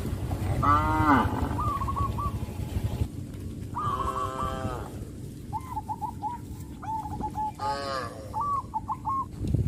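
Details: A herd of tame village cattle calling their companions in the countryside; three strong harmonic moos near one, four and eight seconds, interspersed with repeated short chirping bird calls over steady low background hum.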